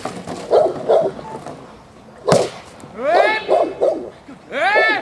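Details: Presa Canario female J7's Kelly, of the Irema Curto line, doing protection work at the De la Arena training field in Germany: deep clipped barks in pairs, a sharp whip-like crack midway, then higher, strained, rising-falling barks near the end.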